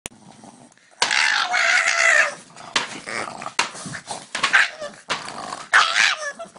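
A Boston Terrier lets out a long, strained, high scream, then a string of shorter yelping cries.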